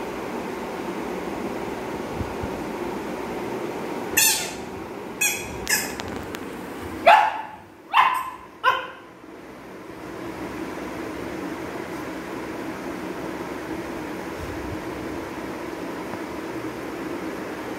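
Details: Labrador Retriever puppy playing with new toys, letting out a handful of short barks and yips in a quick cluster midway, over steady background hum.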